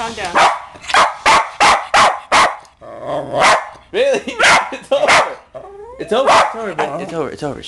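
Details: A West Highland White Terrier barks at home, upset by the band Far's cover of the song "Pony". A fast run of about eight sharp barks opens the recording, then further barks come between a man's calming words.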